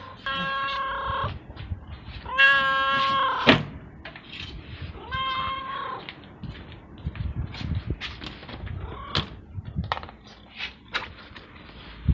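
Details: Stray cat waiting for food meows loudly and repeatedly: three strong harmonic meows, the second longest at about a second, followed by a softer one and a run of clicks and knocks.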